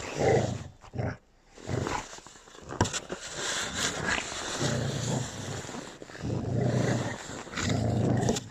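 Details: A grumpy pet puppy growling during rough play with littermates: repeated low, rough growls lasting one to two seconds, separated by short pauses, with scuffling and thumps between them.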